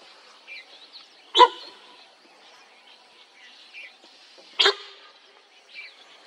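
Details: Sambar deer alarm during a tiger sighting in Corbett National Park, India: two abrupt, honking barks about three seconds apart, with faint bird chirps and twittering between them.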